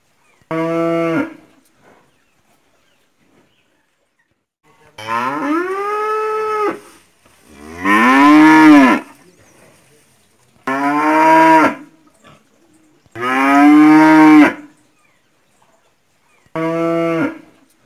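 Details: Mooing ox giving six loud bellowing moos, each one to two seconds long, spaced a few seconds apart with silence between, some rising and falling in pitch, rich and nasal in tone.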